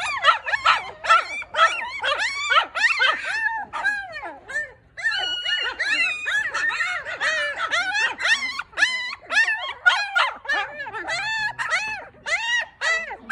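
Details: Litter of four newborn Maltipoo puppies crying steadily: dense, high, bent squeals tumbling over one another at a fast uneven pace for the whole stretch, barely pausing.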